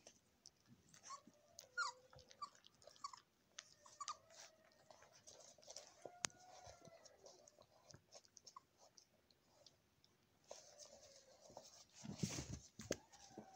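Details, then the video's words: Golden Retriever puppies suckling from their nursing mother; thin, wavering whines and squeaks rise and fall between bouts of wet chewing and suckling sounds, with a loud rustle near the end. "Golden retriever breast feeding"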